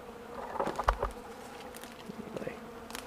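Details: Beekeeper's bees on a warm December day, 65 degrees outside, busy at a capping tank of leftover honey; a low humming buzz under scattered clicks and taps, with brief louder buzzes as bees pass close.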